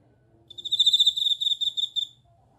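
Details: Bell cricket singing: a clear, ringing, bell-like trill at high pitch with faint overtones. It holds steadily for about one and a half seconds with a slightly pulsing texture, then stops. A faint low hum sits underneath.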